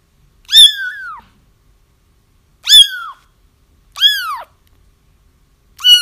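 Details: Kittens crying, a recording used to lure a feral mother cat into a trap once her kittens are found: high, harmonic mews that rise then fall, four sharp cries spaced about one to two seconds apart in a quiet room.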